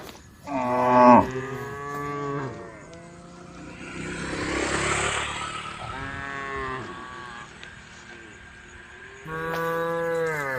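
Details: Tame cows on a road calling the herd: a strong moo near the start, more moos around six seconds and at the end, with a rushing, vehicle-like noise swelling in the middle.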